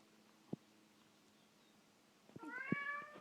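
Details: Indoor cat that wants to go outside gives one short, slightly wavering meow near the end, preceded by near silence and a single sharp tap.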